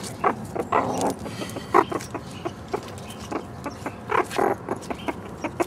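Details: Three young captive meerkats celebrating their first birthday by foraging for beetles and mealworms; short clucking, harmonic call notes repeated in uneven bursts about every half second to second, with faint rustling between them.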